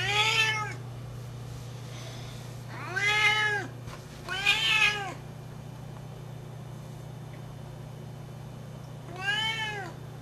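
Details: Sienna, a 12-year-old female Siamese cat indoors, looking for love: loud, drawn-out wailing meows with rich harmonics, three calls in the first five seconds and a fourth near the end, over a steady low hum.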